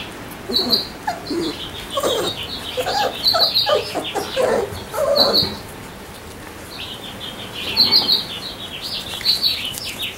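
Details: Week-old Labrador Retriever puppies from Josey's litter, several voices overlapping in short whimpering whines, some mid-pitched and wavering, others thin high squeaks in bursts, with quiet pauses around six to seven seconds.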